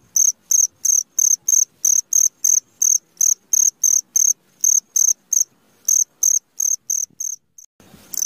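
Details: Cricket chirping at midnight: short high-pitched pulsed chirps repeated about three times per second in a steady run, briefly faltering near the end before a soft rustle.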